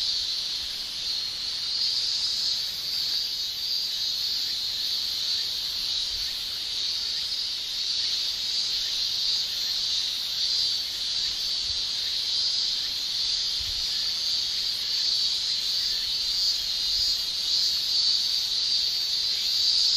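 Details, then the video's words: Cicadas singing in Japan during summer, male tymbal sound: a relentless bright, sizzling high drone throughout, slightly uneven in strength, with no birds or voices clearly heard. "Japan Summer Cicada Shrilling"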